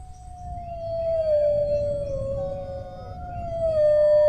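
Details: Dog howl, a long steady tone that sinks gently, wavers, then rises and swells louder toward the close, low rumble underneath.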